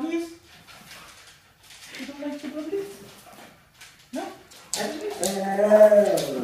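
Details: Dramatic Siberian Husky vocalizing: soft whiny murmurs sit among background talk, then a strong, wavering, yodel-like howl with rich overtones swells over the final two seconds.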